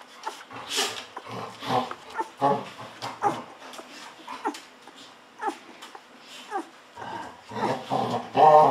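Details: Hungry 14-day-old Golden Retriever puppies drinking milk from a bottle, giving short high squeaky whimpers and yips in quick bursts, some rising and falling, with a loud squeal at the end.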